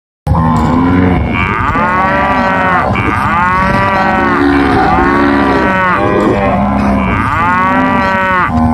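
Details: Cattle on a pasture in Paraguay moo in long, loud, rising-and-falling bellows, several voices overlapping.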